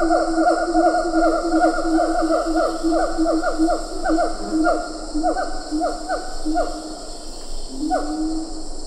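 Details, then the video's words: Siamang calling at medium close range in Ketambe Forest, with a few lar gibbons in the background. Rapid, irregular series of upward-sweeping, ringing hoots, roughly two to three per second, over a steady high insect drone. "Siamang Gibbon. MCU Calls. A Few Lar Gibbons In B/G. Ketambe Forest"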